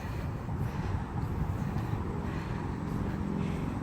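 Low rumbling vehicle and traffic noise with no animal sound.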